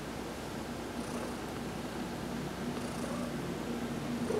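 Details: Heidi, a house cat, purrs contentedly under a massage during her sun bath on November 19, 2020, a dense even rumble with two faint breathy hisses.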